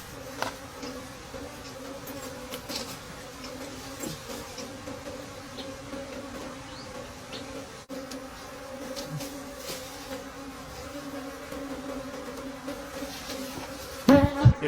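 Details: Steady hum of wild bees at a forest nest during a late-season honey harvest, constant and level throughout, with scattered taps and clicks and a short burst of louder handling noise near the end.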